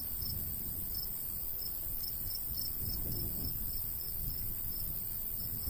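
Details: Crickets in summer countryside by a golden wheat field, chirping in short high pulses repeated about three times a second over a steady low rumble of light breeze.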